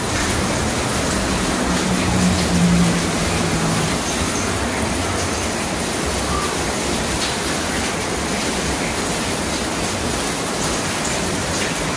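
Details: Steady heavy rainfall hisses without a break, a dense wash of noise with no animal voices heard.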